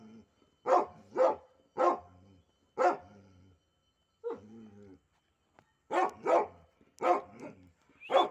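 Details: Barking from a pet pit bull, one of a pair of dogs: a run of sharp barks, some paired, with a pause near the middle before a faster cluster of barks resumes.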